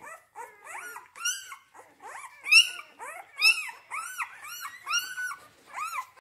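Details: A C-litter group of Rhodesian Ridgeback pups at a kennel, born 8 June 2019, giving shrill arched whimpers and squeaky yelps roughly once a second, each cry curving up and down, with near-silent pauses between.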